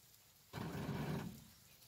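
A lion gives one short, deep, rumbling roar that swells and then fades away.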